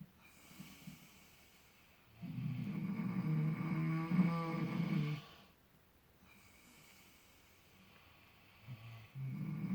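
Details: Relaxed miniature potbellied pigs sleeping in fresh straw: one long, low, rattling snore of about three seconds, then quieter breathing, with another snore starting near the end.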